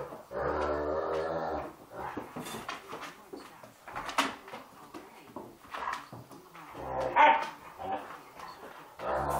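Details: Two Irish Wolfhounds, a 2-year-old and a 14-week-old puppy, growling while they play and bite each other on the snout. Deep rumbling growls come in bursts with short gaps, and the dogs scuffle audibly.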